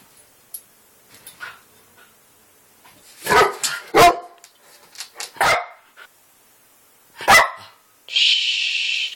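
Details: Pet Yorkshire Terrier indoors trying to get a rabbit to play like a dog, giving several sharp short barks in uneven bursts, with a sustained hissing noise at the end.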